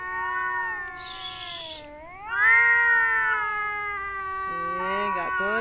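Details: Domestic cats in mating season, males competing over a female: long drawn-out wailing yowls with rich harmonics, sliding down then rising into a louder sustained howl, with a brief high hiss-like burst and a woman's voice.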